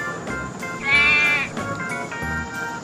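A single wavering, nasal sheep bleat lasting about half a second, over steady background music.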